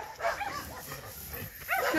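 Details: A dog that is not happy on meeting another dog again gives faint, high whining sounds that rise and fall, with a louder arching whine near the end, between a woman's soft coaxing words.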